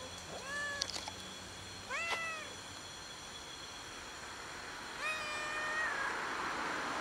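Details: Fluffy male cat of unusual coloring, living alone and sitting on a gas enclosure hoping to be fed, utters three short, slightly rising meows spread across several seconds against a faint hiss.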